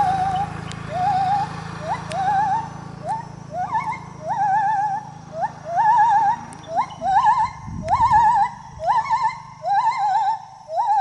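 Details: A gibbon sings while swinging through the trees, with pure hooting notes that swoop upward and waver, repeating faster and faster.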